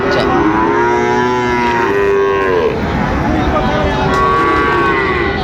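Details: Sahiwal bull calves at Raniganj cattle market, Dinajpur, recorded 8 August 2024; two clear, sustained lowing calls, the first bending downward, the second steadier and higher, over a background of market voices.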